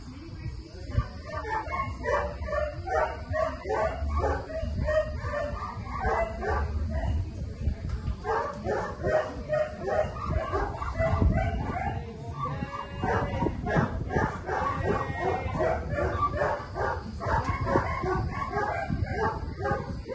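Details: Rena, a Rottweiler in a board-and-train program at a Central Florida dog training facility, barks in quick, uneven bursts of harmonic barks throughout, with a low musical bed and occasional human voices underneath.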